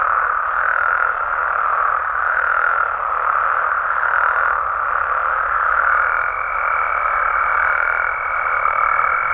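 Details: Nighttime chorus of Mexican frogs and toads, a thick continuous wall of croaks pulsing gently in loudness, joined in the last few seconds by a thin, steady high-pitched tone.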